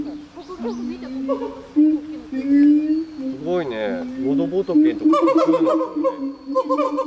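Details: Gibbons calling with a long steady hum-like tone beneath quick upward-sweeping notes, a loud rapid rising-falling flourish near the middle, and bright repeated whoops toward the end.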